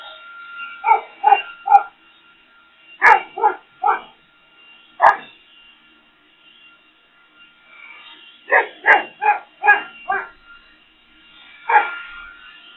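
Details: Boxer dog barking at a leaf blower, giving clustered bursts of three to five sharp barks separated by pauses, over a faint steady engine hum.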